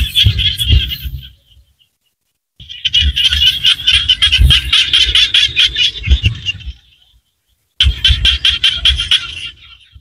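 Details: Rice fields in rural Cambodia with small frogs in chorus: fast, rattling trains of high clicky pulses run for several seconds at a time, broken by short silences, with a low background rumble underneath.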